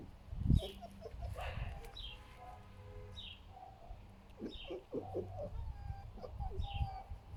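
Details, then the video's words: Foxes rescued from a fur farm give low, rough, pig-like grunts in short bursts, passing around a bird killed by strong wind and not knowing what to do with it. "Хрюкающие лисы Василиса и Фокси - Foxes make grunting noise like a pig"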